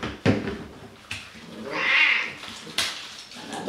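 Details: Cat being washed in a bathroom gives a single soft, drawn-out meow midway, framed by sharp knocks and splashing from the bath.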